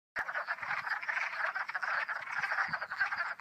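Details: Hundreds of spring peepers in full spring chorus on the second day of their calling; a dense, continuous wall of overlapping high peeps and trills with no pauses.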